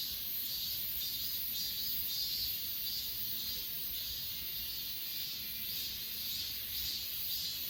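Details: Achasan grass insects, S20 Ultra recording: an unbroken high ringing chorus throbbing softly about twice each second, with a thinner, even higher band of sound and light background hum.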